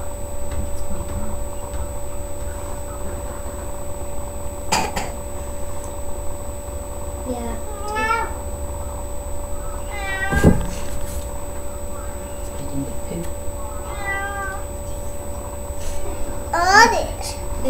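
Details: Domestic cat in labour, giving birth to three kittens indoors; several short harmonic meows, rising and falling, at roughly three-second intervals, with steady electrical hum and a few clicks in a quiet room.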